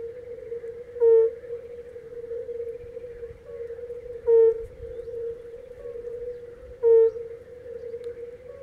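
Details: A singing European fire-bellied (red-bellied) toad gives soft, mellow, low 'oop' advertisement notes every few seconds over a humming chorus of other toads.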